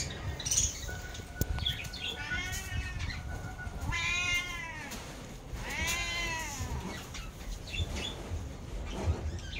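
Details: Sorna the pet cat crying for cat food: a few drawn-out, arching meows, each rising then falling, about two seconds apart, with faint background rustle and an occasional knock.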